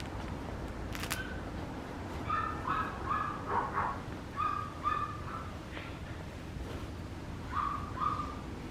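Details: Short high-pitched yelps from a young Papillon come in clusters of two or three, a pause, then another brief pair near the end, against low steady room noise with a click early on.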